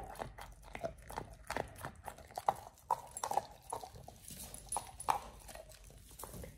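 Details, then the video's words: Pit Bull Oliang crunches through a raw ostrich paw, his first. Uneven bites crack and snap, several strong ones spaced about half a second apart, between quieter wet chewing. "Oliang the Pit Bull 1st time eats Raw Ostrich PAW [ASMR] BARF | MUKBANG 動物の咀嚼音 | 犬が生の肉を食べる"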